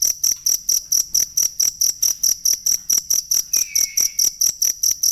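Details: Genuine cricket chirping meant as a tutor sound for songbirds: a rapid, even train of bright, high-pitched pulses, with one soft gliding whistle drifting in past the midpoint.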